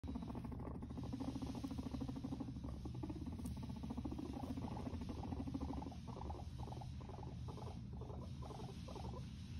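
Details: Guinea pigs said to be fighting; a steady low rapid pulsing rumble, repeated buzzy chattering pulses throughout, with a constant background hum.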